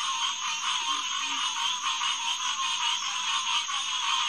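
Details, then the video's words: Hyla cinerea, the green tree frog, calling en masse at Headquarters Pond, SMNWR, on a June 2, 2021 night around 9:10 pm. A thick, pulsing chorus is heard, with a faint deeper croak early on. "Green Tree Frog Chorus"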